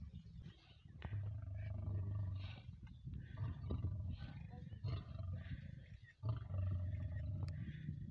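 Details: Wild lions, a mating pair, during courtship; deep rumbling growl-roars held in low harmonic bands, rising and fading in several bursts across eight seconds, with brief breaks and faint higher noise.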